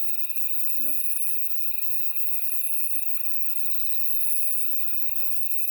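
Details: Grass insects chirping on a summer night along a mountain path on Woraksan, Korea, heard while walking with children hunting stag beetles; steady high buzzing trill with a pulsing whistle above, brief voices in the background.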